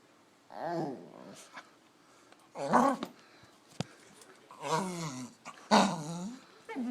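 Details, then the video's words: Weird dog noises indoors: four separate groaning, warbling vocal phrases with wobbling pitch, each about half a second to a second long, spaced by quiet gaps, plus one sharp click. "Weird Dog Noises"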